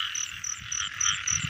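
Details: Frogs in the rain season while people catch frogs and baby frogs: a dense chorus of short, pulsed, bright croaks repeating about four times a second over a steady high hum, with low thumps and rustling below.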